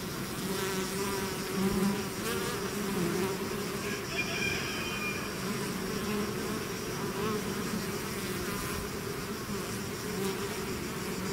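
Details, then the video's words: Bees swarming out of their hive make a continuous, thick humming drone, with individual insects passing close and a short higher, wavering tone briefly rising above the mass of buzzing midway through. "bees therapy swarm natural buzzing sound"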